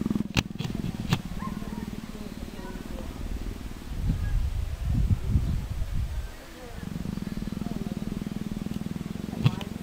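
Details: Persian leopard making a deep, rhythmic pulsing rumble, like steady purring strokes in quick succession. The pulses fade briefly midway and then resume, with a few sharp clicks near the start.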